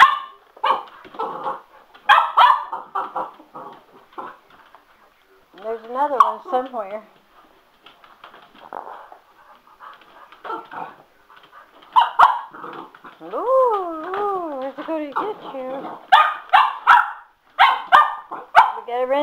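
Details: Sugar the Cocker Spaniel getting worked up over a spin mop indoors: bursts of barking mixed with long wavering whines that rise and fall, sharp clicks, and a person speaking between the outbursts.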